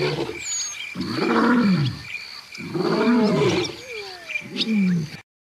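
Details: A Barbary (Atlas) lion, a form extinct in the wild, at the Paris Zoological Park in September 2014 gives deep, rumbling roars: three long groaning bursts about a second apart.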